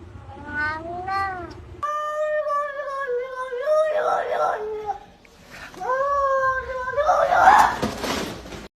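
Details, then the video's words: Domestic cat making funny sounds: a short rising-falling mew, then long, steady, moaning yowls that sag in pitch, with a final cry blurred by rustling noise. "cats making funny sounds"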